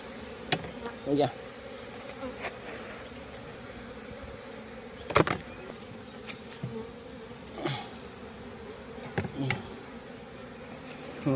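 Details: Bees at a hive in the morning while their pollen is being trapped; a steady low droning hum runs throughout, broken by scattered knocks and clicks, with brief faint speech in places.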